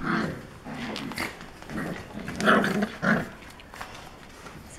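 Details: Four-week-old Alapaha Blue Blood Bulldog puppies, born October 1, 2020 to Jack and Leia on a 45-acre farm, playing and biting; short growling and yipping bursts come in clusters, with a person speaking softly indoors.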